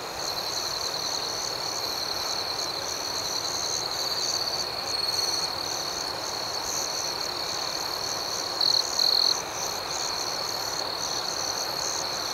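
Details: Nocturnal cricket chorus, an even high ringing hum with rhythmic pulses in a higher band. Near the end a closer cricket gives two brief, louder trills in quick succession.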